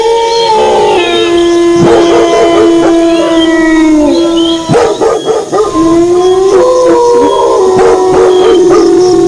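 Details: Howling wolves joined by barking dogs: several drawn-out tonal howls overlap, one low and steady, others higher and slowly bending, with bursts of abrupt barks breaking in near two seconds and again around five seconds.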